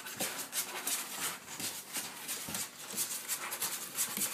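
A Springer Spaniel puppy gives short, high, squeaky barks in an uneven string.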